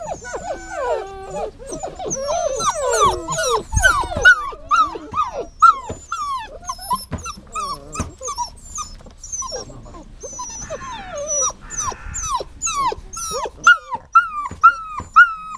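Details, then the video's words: Dog whining steadily: high, sliding whimpers that drop sharply in pitch, repeated roughly twice a second, with a brief rustly break partway through before the insistent cries resume. "Whining Sounds"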